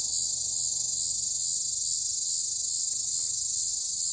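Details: Cicada calling loudly on a hot summer day: a steady, dense, high-pitched shrill buzz that holds without pause throughout, with nothing else clearly heard.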